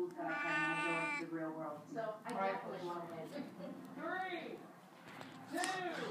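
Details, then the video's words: Angel, a talking cat, gives two drawn-out, rising-then-falling meows near the end, following several seconds of human voice. "Angel talking"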